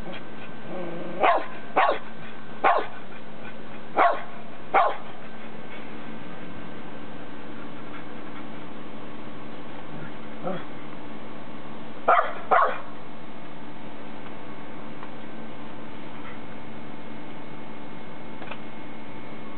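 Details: Keeshond named Leo, a pet dog in Japan, kept with another Keeshond named Jade near a pool and a new toy; a burst of five sharp barks, then a faint one and a pair of barks later, over a steady indoor hum.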